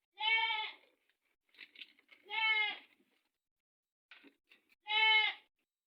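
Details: Goats in a herd where one has just given birth and more are due to deliver. Three loud nasal bleats come about two seconds apart, each under a second long and richly harmonic, with soft speech and small noises between.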